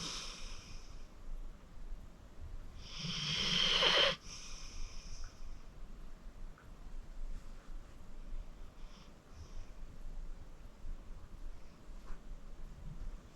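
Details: Deep-sleeping senior pit bull Acorn, 14 years old and rescued from the Cuyahoga County Animal Shelter, lets out one long, loud rasping snore that swells for about a second before cutting off, followed by soft, quiet breathing.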